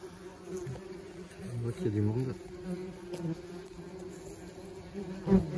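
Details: Many German wasps flying about a nest while it is being dusted with powder; a continuous low hum that bends up and down in pitch as wasps sweep past close by, ending in a louder near flyby.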